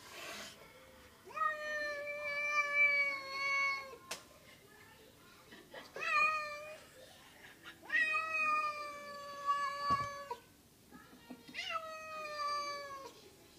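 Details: Domestic cat meowing indoors: four long, harmonic-rich meows of about two seconds each, steady then slightly falling, separated by short pauses, with faint thumps between calls.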